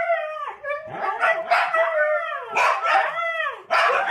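A Siberian Husky gives a run of wavering, yodelling howls that rise and fall in pitch.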